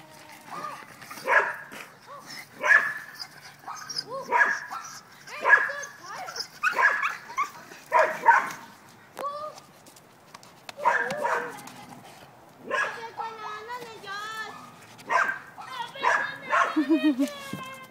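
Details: Pug attacking a tomato plant gives a run of short, high harmonic yips and whining squeals, some bursts rising and falling in pitch, mixed with a person talking.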